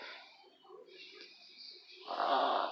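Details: A 10-year-old female Boston Terrier breathes hard and raspily at night because of her short snout, ending in a loud snorting rush of air.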